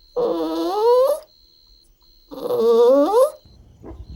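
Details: Golden Retriever puppies playing, running and exploring on a lush green lawn outdoors; two drawn-out, tonal whines about a second each, rising in pitch toward the end and separated by a short pause, followed by a faint soft thump.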